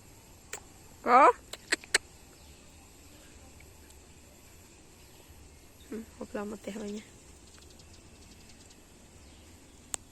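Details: Evening dogs give one sharp, high, rising yelp, then a few seconds later a quick string of short whimpering yips over a steady low background hum, with scattered clicks.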